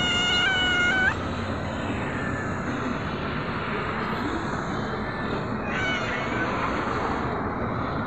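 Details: Hungry cat meowing for food: one loud, clear, drawn-out meow in the first second, then a softer, shorter meow near six seconds, over a steady low background hum.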